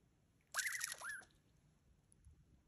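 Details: A wild Douglas squirrel on the Ancient Cedars hike defensively scolds a person, giving one harsh, buzzy burst with a whining note that dips and rises.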